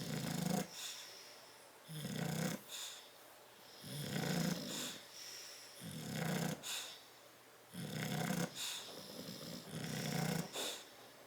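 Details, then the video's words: Two bulldogs, Tyson and Tyra, asleep in a crate on 10/30/12, snoring in rhythmic rasping bursts about every two seconds, each snore a low rumbling buzz with breathy hiss above, quieter breathing between. "Tyson and Tyra Bulldog sleeping and snoring in crate"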